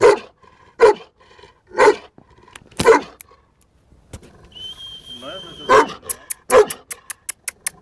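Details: Sheeru, a male Bully Kutta aged 11 months and 19 days, barks deeply about once per second. A brief high steady whistle sounds midway, and a run of sharp rapid clicks closes the recording.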